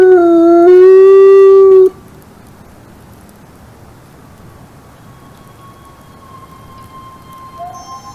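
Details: A single wolf howl, steady and slightly rising, lasts about two seconds and stops abruptly. Near silence follows, with one faint thin tone and a short soft rising note at the end.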